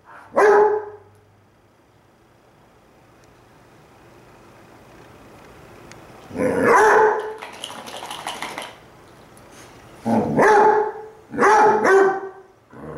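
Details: Two Basset Hounds, Cooper (brown) and Jahko (black), howl back and forth at each other, Cooper lying on his side; short mournful harmonic howls burst out near the start, around six to eight seconds, and twice near the end, with quiet gaps between.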